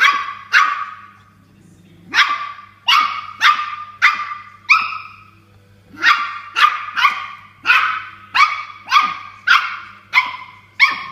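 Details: Toy Poodle barking at a water bottle during an indoor fight with it; near-continuous shrill yapping, about eighteen barks in eleven seconds, in quick runs with short breaks, constant low hum in the background.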